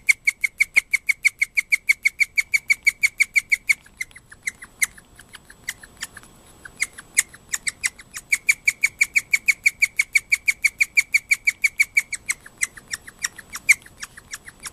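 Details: Guinea pig Moka squealing at night, worked up after another guinea pig sharing her home squeaked shrilly: steady piercing chirps repeated roughly three times a second, thinning out for a few seconds, then returning in a regular run.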